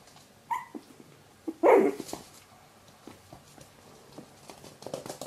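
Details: One-month-old Chihuahua puppies from a litter of six, three males and three females, give a high, thin yelp followed by a sharp, louder yip indoors.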